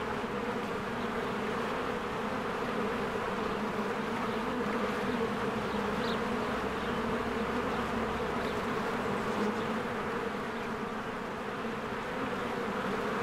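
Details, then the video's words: Honeybees flying in and out of their hive in spring as flowers bloom, a dense steady drone of countless wings humming continuously with faint brief higher chirps of a bird above the buzz. "1 Hour of a Beehive ASMR"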